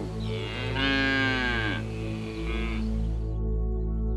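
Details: A single strong, drawn-out cow moo that bends downward at its end, followed by a quieter tail, over relaxing instrumental music.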